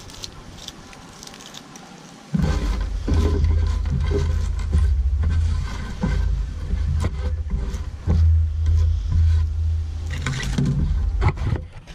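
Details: A deep, droning engine rumble kicks in abruptly after a quiet start and carries on to the end. Faint rattles and knocks sit on top, but no animal voice can be picked out.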